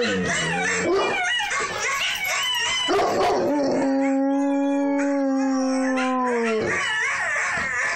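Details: An eight-month-old Bouvier des Flandres howling for the first time: a long, steady, tonal howl holding level for about three seconds before dropping away, preceded by rising yelps and a brief wavering whine.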